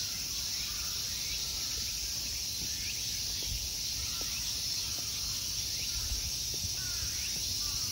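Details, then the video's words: Summer insect chorus in the temple grounds of Ikegami Honmonji, Tokyo, Japan: a continuous shrill, hissing drone, with faint short chirps, apparently from birds, scattered through and soft low background noise. "Summer insect sounds."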